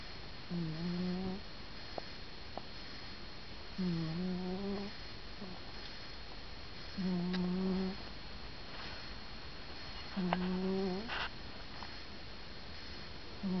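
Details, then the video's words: Grey cat Stan, asleep, snores rhythmically. Four low, humming drones, each about a second long, come roughly every three seconds, with small clicks and rustles between them in a quiet room. "Stan the cat snores"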